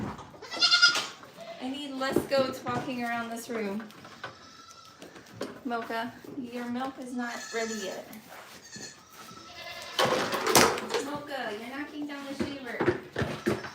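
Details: Goats at The Willful Goat Farm & Home, heard on a live farm stream: trembling, quavering bleats in runs of several notes, repeated in bursts, mixed with human talking and a louder harsh cry near the end.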